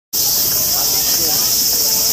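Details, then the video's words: Enormous, very loud cicadas in Japan, heard as early as 4 am: a sudden, dense, steady high-pitched hiss-like drone that starts abruptly and holds without a break. "Loud Secadas"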